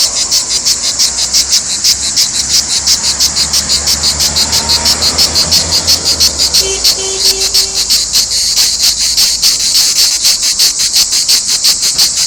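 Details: Cicada chorus from Provence: an intense, sizzling high buzz throbbing in rapid, even pulses throughout, while a faint low hum and a brief soft tone sit underneath in the middle.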